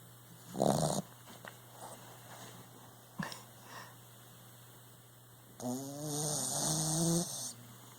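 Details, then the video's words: Sleeping puppy snoring indoors: a loud rasping snort near the start, then a long wheezy, whistling snore with layered tones lasting about two seconds, over a steady background hum. "Snoring puppy"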